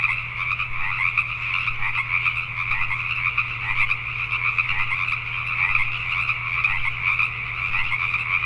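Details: Pacific tree frogs calling at night in Richmond, British Columbia, Canada: a dense, unbroken chorus of many overlapping croaks in two bright bands, pulsing steadily throughout, over a low constant hum.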